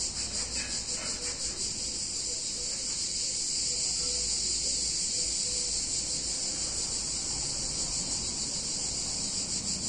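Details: Steady high buzzing of cicadas on a hot summer day in a picturesque Italian town, with a rapid, even shimmer running through the continuous chorus and faint background rumble.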